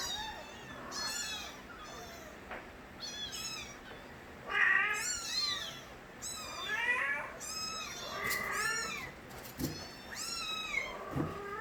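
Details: Several young street kittens, the litter of a cat named Nabi, crying loudly in Korea; high, arching meows overlap one another in quick succession, some rising then falling, with a faint steady hum underneath.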